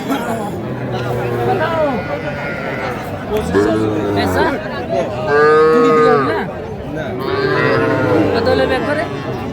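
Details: Small bull and heifer calves for sale at a Faridpur cattle market, 8 February 2025. Three hoarse moos come at uneven intervals, each a second or so long, the middle one loudest, amid market chatter and people haggling over prices.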